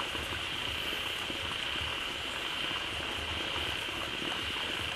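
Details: Loud frog chorus filling a pond newly fed by a waterfall: an even high buzzing band with rhythmic bursts of deep, bubbling low croaks beneath.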